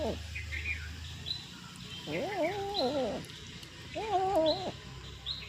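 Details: A domestic cat eating fish gives two drawn-out, wavering moaning calls, each about a second long.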